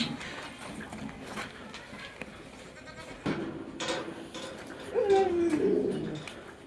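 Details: A Barbari goat on a goat farm gives one wavering, nasal bleat late in the recording, after a stretch of low background noise and faint murmuring.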